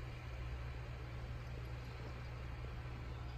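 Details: A continuous low, droning hum like an idling engine or appliance runs throughout, with no animal calls.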